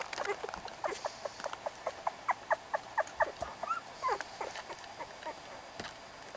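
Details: Short, tonal puppy squeaks repeat steadily, with one longer rising-then-falling whine in the middle; young pups filmed in November.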